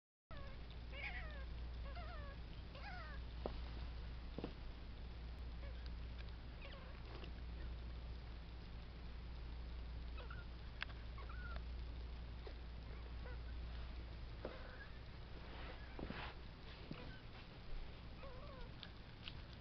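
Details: Three-week-old foster kitten named Cheeto, one of a litter kept indoors with its mother, starting to walk; faint high, thin mewing calls scattered through the clip over a steady low hum and occasional knocks.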